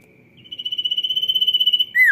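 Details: Energetic sirtu song: a high trill rising to a sustained pulsing buzz of quick regular beats, ending in a loud, abrupt, downward squeak over a faint steady background tone.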